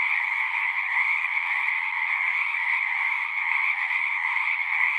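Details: Singing frogs in a thick chorus, many voices blending into one continuous buzzy trill, bright and unchanging over the whole stretch, no other animals or people heard.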